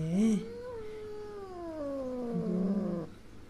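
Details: Young female kitten, angry and frightened after her mother cat, who just gave birth to five kittens, hit her; a long wavering meow slides slowly downward over about three seconds, with a woman speaking Persian nearby.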